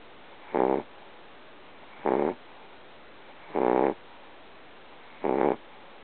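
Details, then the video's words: Loud, odd snoring from Sammy, a little pet dog fast asleep: four rasping, buzzy snores, each about a third of a second long, evenly spaced about one and a half seconds apart, with constant hiss between. "Dog Snores Very Loud"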